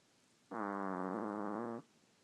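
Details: Sleeping pet dog giving a fart-like snore: one sustained buzzing tone of about a second and a half, even and slightly wavering, against a quiet indoor background.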